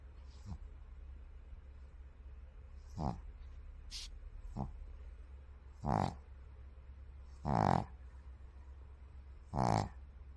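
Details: A white pug snores in rough, nasal snorts that repeat every couple of seconds and grow louder.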